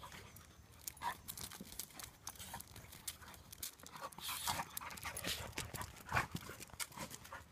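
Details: Pair of pet Labradors, one chocolate at two and a half years, the other seven months old, wrestling in play; quick irregular huffs and breathy pants, scuffling thumps and a few brief sharper bursts.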